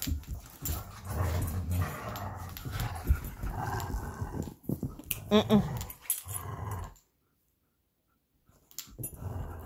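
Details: Two Belgian Malinois, Bullet and Apollo, tugging on their favorite toy: low rumbling growls run almost continuously, with a brief higher whine midway, then a short pause of near silence before the growling resumes.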